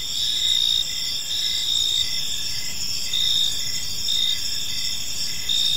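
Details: Gentle chirping of crickets in a park at evening, several high ringing trills overlapping continuously with a slow swell and fade every second or so, low background noise beneath.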